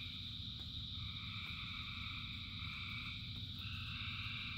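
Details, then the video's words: Rain-soaked frog chorus of thousands of animals, overlapping sustained trills stacked at several pitches, with rain hissing and rumbling throughout. "Frogs in Rain 2 Hours of Frogs, Thousands of Frogs Singing"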